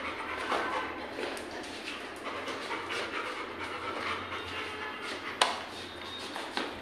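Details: Goku the Labrador Retriever, a mischievous pet dog, being called by name; steady quick breathy panting throughout, a sudden sharp click-like burst late on, constant low background hum.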